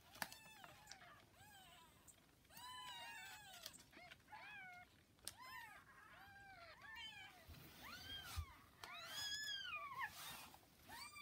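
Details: Newborn kittens about 40 hours old with their mother cat Hana, indoors: many high, arched mews overlapping, several callers at once, rapid and irregular, with soft clicks and handling noises between.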